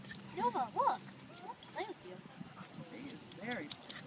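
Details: Two Siberian Huskies, one the puppy Thumper, playing together at a dog park. They give short arched yelping calls in quick bursts, a pair near the start, more scattered ones later, with a few sharp clicks and faint background noise.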